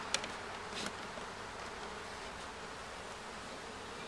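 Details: Honey bees buzzing during a first hive check with some comb found, a steady broad hum filling the clip, with two brief sharp clicks near the start.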